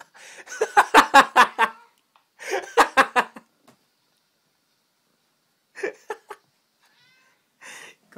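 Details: A confused domestic cat, seemingly searching for another cat, makes loud bursts of rapid, pulsed, stuttering meow-like calls in two runs, then shorter clipped calls after a pause. A brief human voice may be mixed in.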